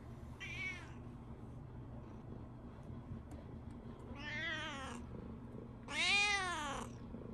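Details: Tabby house cat meowing on waking to find the Shiba dog gone on its morning walk, as if complaining to its owner: three harmonic meows, the last loudest and longest, amid low room hum and a man's greeting.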